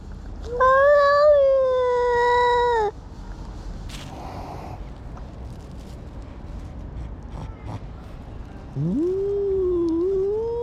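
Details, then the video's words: Domestic cat giving an unusual, strange-sounding call: a long, steady, harmonic-rich meow held for about two seconds, a quiet gap with faint background noise, then a rising meow that climbs and levels off near the end. "This Cat Makes a Weird Sound"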